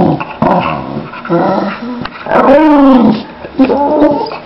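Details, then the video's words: Boxer dog giving drawn-out whining, moaning vocalizations with sliding pitch, several rising and falling notes, with a person speaking in the background. "Crazy dangerous Boxer dog - Lila Loca au au au"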